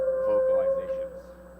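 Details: A humpback whale (Megaptera novaeangliae) recorded in U.S. West Coast National Marine Sanctuaries holds a steady, resonant tonal moan from its song's middle theme.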